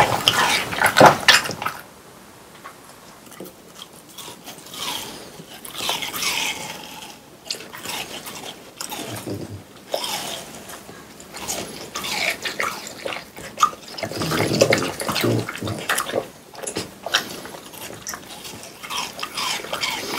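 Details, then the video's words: Close-up of French Bulldogs, a household trio, munching watermelon indoors on a hot summer day: rapid irregular crunching and wet smacking, about three or four bites a second, with quieter pauses between bursts. "강아지 먹방 ASMR 여름이 가기 전에 수박을 먹어보았어요"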